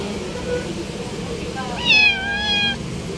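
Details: Stray cats being fed outdoors; one clear meow with a stacked harmonic tone, slightly rising then held level for about a second, over background traffic hum and a woman's voice beforehand.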